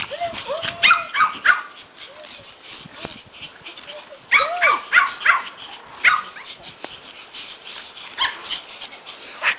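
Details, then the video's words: Happy Pomeranians at a reunion with their returning owner, mixing sharp high yips and barks with squeaky rising whines in bursts, and a person speaking between them. "Reunion - POMERANIANS very HAPPY to see mom"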